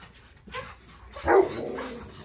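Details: Tonka and Monroe, dogs too excited to sit still for their leashes before a morning bikejoring run, give one short, sharp yip mid-clip over a faint indoor hum.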